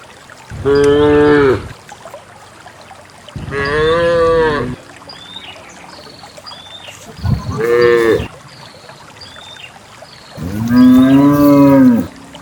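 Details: A herd of dozens of cows lows in long, harmonic moos that swell and fade, about one every three seconds, as the cows are led down a green hill into a grassy valley.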